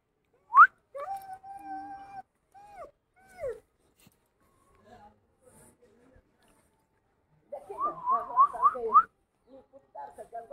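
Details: German Shepherd dog on a morning walk, giving high whimpering whines: a long steady whine near the start, a few short sliding cries, then a wavering, warbling whine run later, with quiet gaps between.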